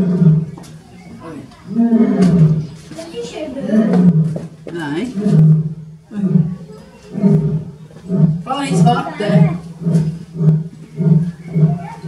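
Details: Male Asiatic lion, born 2005, captive at Zoo Zürich, Switzerland, on 18 May 2018, roaring while females groom; deep moaning roars build into a run of low grunts about every half second, with people talking German throughout.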